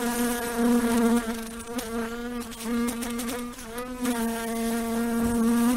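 A fly buzzes steadily, a low droning hum that swells and fades as it moves about.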